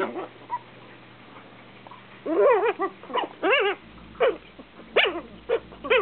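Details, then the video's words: Eight-week-old Shih Tzu puppy littermates squabble over a lap: after a quiet start, sharp wavering yips and whiny barks come in clusters, several sliding up and down in pitch, with a faint low hum behind. "Eight-week-old Shih Tzu littermates Bella and Lulu arguing over my lap"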